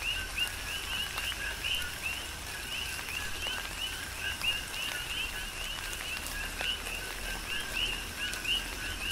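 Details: Coqui frogs calling in a tropical rain shower on the Big Island of Hawaii; rapid two-note high chirps repeat densely from many frogs throughout, over steady patter of rain and scattered drips.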